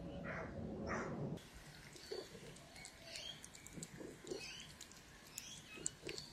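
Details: Gaga, a hungry Russian Blue cat, lets out a loud drawn-out meow at the start, then soft scattered sounds follow in a quiet indoor room.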